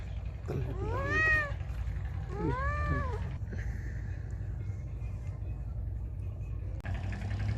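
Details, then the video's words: Loud meowing from a feral cat: two arched, whiny meows in quick succession, followed by several seconds of low background rumble and a brief clatter. "Cat Meowing Loudly| Meowing Sound Effect Of Feral Cat"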